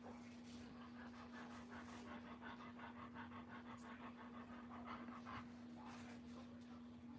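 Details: Female Doberman Pinscher in labour, her water broken and a third puppy on the way, panting fast and rhythmically at about 167 breaths a minute over a steady electrical hum, with faint background noises.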